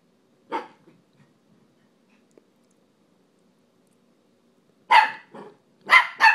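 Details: Dog playing on a couch, barking at another dog that ignores it: one sharp bark, a long quiet pause, then a quick burst of three or four clipped barks.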